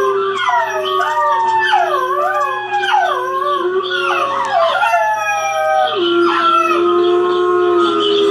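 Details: A 9-week-old Boxer–Basset Hound mix puppy howls in drawn-out, quavering tones that swoop up and down, reacting to a video on TV, with several overlapping voices and a steady low hum underneath.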